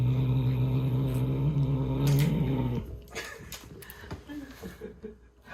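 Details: Ten-month-old male British Shorthair named Morae, indoors, growling while playing with and running off with a toy: a steady, low, rumbling growl with clear harmonics lasting about three seconds, then fading into soft rustles and scuffling.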